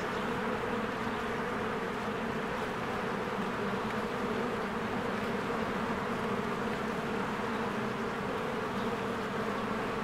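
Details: At a beehive in spring, swarms of honeybees work and fly in and out; a continuous thick buzz with steady low droning bands, constant in loudness from start to end.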